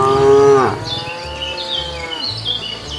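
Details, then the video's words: One short, bright moo from a cow wandering the roadside for food, cutting off with a downward slide, followed by a faint trailing low and high bird chirps over a low hum. "Cows walking leisurely wandering around the road looking for food, Funny cow sounds"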